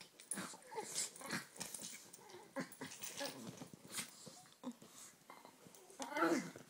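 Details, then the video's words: Chihuahuas at play in a pet rescue foster home: short scuffling growls and snorting huffs come in bursts, with a higher yelp near the end and a woman's voice faint in the room. "Chihuahuas play"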